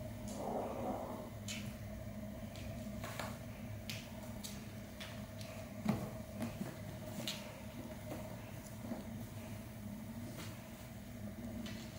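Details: Quiet indoor room with scattered soft clicks and knocks over a steady low hum, with no animal calls heard.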